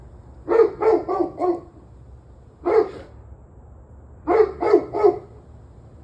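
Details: Dog barking on 21 November 2023 around 7:06 pm in three bursts: four rapid barks, a single bark, then three quick barks, with a low constant hum underneath.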